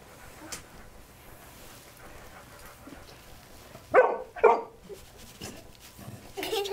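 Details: A therapy dog gives two sharp, loud barks in quick succession from a hidden spot during a dog-assisted therapy session, amid quiet indoor voices.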